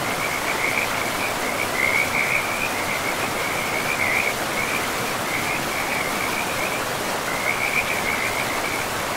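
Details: Frogs calling by a forest river among moss-covered land, a high rattling trill repeated in short clustered phrases, set against continuous rushing water.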